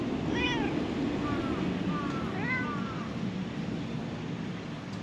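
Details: Stray cat under a truck calling out to a person who approaches, giving about five short, clear meows that rise then fall, packed into the first three seconds, then going quiet over a steady low rumble of traffic or engine noise.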